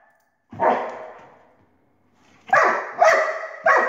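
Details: Pet dog barking at a laser: one long drawn-out bark, then after a short gap three sharp, loud barks in quick succession about half a second apart, with a bright ringing tone.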